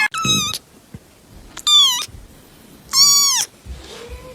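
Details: Three short, bright domestic cat meows about every one and a half seconds, each bending downward at the end, then a faint low drawn-out mew; quiet rustling between calls.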